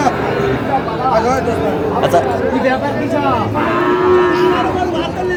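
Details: Two separate moos sound at a Bangladeshi cattle market in Bogura on 13 March 2025, amid trading for a Sahiwal bull calf. They are a short low first, then a longer steady one about three seconds later, under constant chatter.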